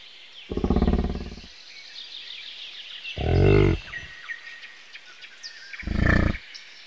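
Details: Three separate throbbing, low-pitched grunts from a bison, each about a second long, with bird chirps filling the gaps.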